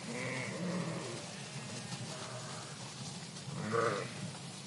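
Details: Sheep from a flock in a park, two harmonic bleats, one near the start and a louder one near the end, over steady low rumbling background noise.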